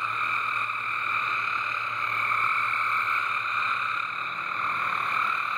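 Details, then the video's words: A dense, very loud frog chorus rings out from a backyard water garden as a steady, unbroken wall of trilling calls. "Frog Song in the water garden."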